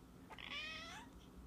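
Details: Domestic cat giving a single drawn-out meow, about half a second long, bright and slightly falling at the end, over a low steady indoor hum.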